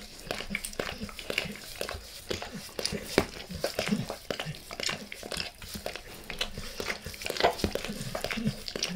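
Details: Max the dog licking his owner's face indoors in a small room, close-miked with no talking: wet, smacking tongue clicks and slurps in irregular bursts, with faint low rumbles between strokes.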